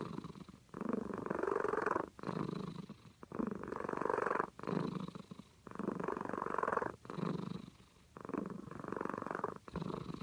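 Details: Sleeping cat snores steadily, around seven rattling, purr-textured breaths, each about a second long and separated by brief soft pauses, in a quiet indoor setting.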